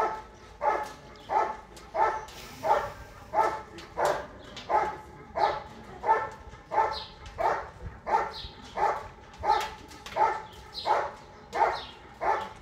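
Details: Rhythmic, insistent barking from German Shepherd Bandit vom Haus Kogor during section C of an IGP-1 qualification event, Russian Championship 2022; around twenty evenly spaced barks in quick succession, light bird chirps in the background.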